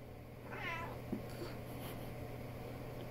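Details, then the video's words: Chatty female pet cat vocalizing to her owner at home: a single faint, wavering meow with a quick rise and fall, over a constant low electrical hum in a quiet room. "Chatter Box Kitty"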